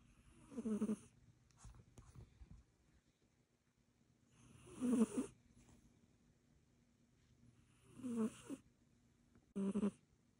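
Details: An Egyptian Mau snores while asleep, four rough, throaty breaths spaced roughly three to four seconds apart, each a short buzzy rattle with a low tonal core, separated by near silence.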